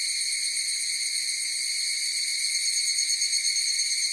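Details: Higurashi cicadas calling together in a dense chorus, a continuous bright metallic trill with a gently wavering texture and no break or other audible source.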